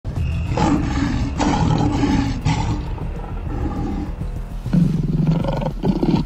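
A lion gives deep, rumbling roars, with what sounds like music underneath.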